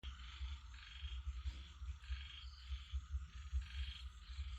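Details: Frogs calling together: a deep, rapid throbbing of low croaks runs underneath a higher, buzzy chorus that swells in bursts about every half second.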